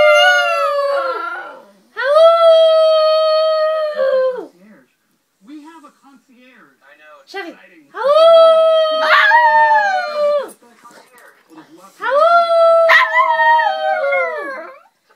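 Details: A puppy singing: three long, sustained howls, each about two to three seconds, steady then falling at the end, with short yips and whimpers in the gaps between them.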